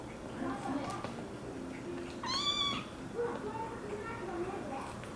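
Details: American Curl kitten giving one loud, bright meow midway, rising then falling with strong harmonics, against steady room noise and faint background voices.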